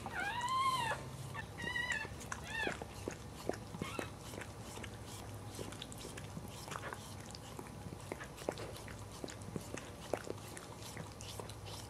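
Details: Newborn Cairn Terrier puppy, the fourth of a litter born indoors, gives a run of high arched squeals in the first three seconds. Clicks and soft rustling follow over a steady low hum.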